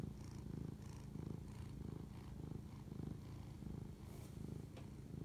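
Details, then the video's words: Cat purring during a late-night bonding moment, 11:07 pm, March 25, 2019; deep continuous rumble pulsing in regular waves with each inhale and exhale, a brief rustle near the end. "spirit animal bonding asmr cat purr"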